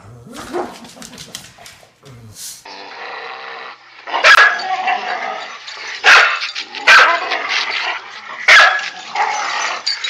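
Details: A dog playing tug of war gives sharp, loud barks, four bursts spaced one to two seconds apart in the second half, over a steady music bed, with brief voices at the start.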